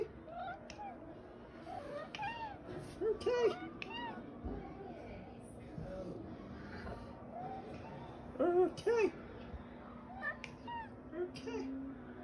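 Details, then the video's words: The OK Cat, a domestic cat that went viral in May 2021, repeatedly gives short arched meows that sound like "okay", two closely paired near the middle and end, mixed with a person's voice saying okay and background music. "Talking Cat Says Ok"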